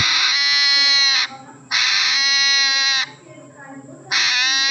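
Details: Hedgehog crying like a baby: long, steady, richly harmonic wails lasting over a second each, separated by short pauses with low background hum, three cries in under five seconds.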